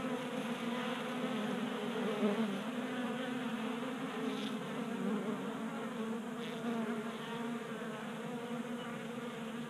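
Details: Continuous droning of honey bees feeding at a 3D printed bee feeder in a garage, Colorado, in January at 60 degrees. Rich, even buzzing of several bees, with faint brief clicks near the four- and six-second marks.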